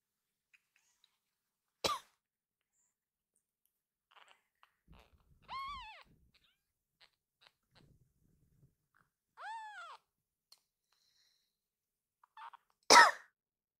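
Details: Rescued kitten indoors greeting its caretaker, giving two short arched high-pitched meows several seconds apart, with a sharp click and a loud thump or cough-like noise nearby and long quiet gaps between.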